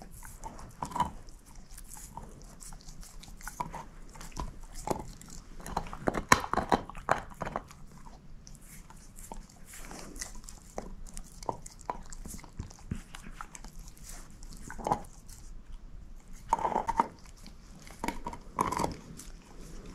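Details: Bone-eating by Moose, a female shepherd mix dog: a long stretch of continuous gnawing with frequent crunchy bites, several louder cracking chomps near the middle and end, no voices.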